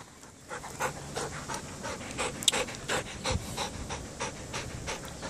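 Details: Belgian Malinois Loki, a 19-month-old dog, during obedience training, panting in quick rhythmic breaths of about three per second, with faint handling noise and one brief sharp click midway.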